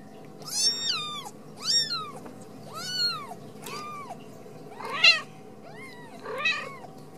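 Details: Ragdoll kitten from a home cattery in central Kansas meowing repeatedly, roughly once a second, each call a high arched wail that rises then falls, with a few harsher, squeakier cries near the end; a quiet indoor room behind.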